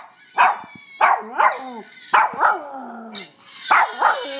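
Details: Pet dog howling while listening to a recording of a screaming French Bulldog, with a second dog present: short whining, yelping howls with falling tones, roughly every half second to one second in pairs, over a quiet indoor background.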